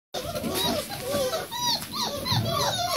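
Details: Bucovina Shepherd Dog puppies, four weeks old, with their two mothers at a kennel: many overlapping high, thin whines and squeaks, some rising and falling, continuous over a background murmur.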